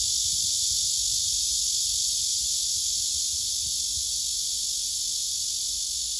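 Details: Singing male cicada on a tree trunk, with other males and females gathered nearby, phone recording: a continuous shrill buzzing drone, even and unbroken, carrying a rapid fine pulsing.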